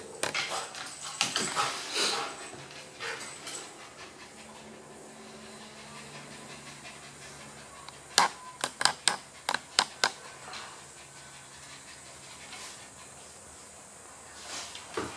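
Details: Playing dogs, a one-year-old male Maltese named BallBall, a two-year-old female Golden Retriever named Abbey and a seven-year-old female Husky-German Shepherd mix named Narnia, filmed with a Panasonic Lumix DMC-3D1 3D camera; breathy rhythmic panting bursts early, then sharp clicking taps.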